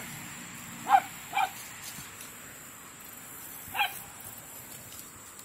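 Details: Dogs at play time in a large yard; three short, fairly quiet barks or yips, two close together then one more a few seconds later, over a hissing background.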